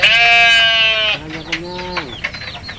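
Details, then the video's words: Goats at feeding time in a village: one loud, steady, nasal bleat for about a second, then a lower, wavering bleat that ends in a quick downward slide, with soft background noise. "Suara kambing lucu, funny goat sounds animal goat sound"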